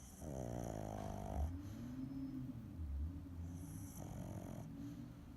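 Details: A sleeping pet pug snores loudly, each breath a deep, buzzy, rattling rasp lasting over a second, with airy hiss on the inhale, repeated about every three seconds.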